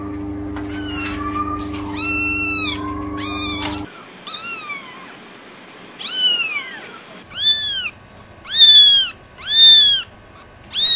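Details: Kitten giving repeated high meows, some flat and sustained, others arching up then sliding down, coming faster and louder toward the end; a low steady hum underlies the first few seconds.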